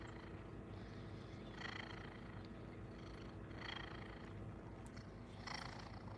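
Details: Domestic cat purring in the foreground, content and happy to be near its owner indoors. A steady, faint low rumble runs throughout, with soft breathy swells roughly every two seconds.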